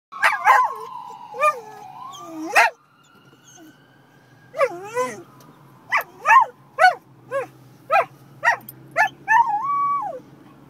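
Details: A pet dog howling in response to a passing fire truck, recorded in 2011: long wavering howls, then a string of rising and falling yelping howls about every half second, with a faint siren-like tone in the background.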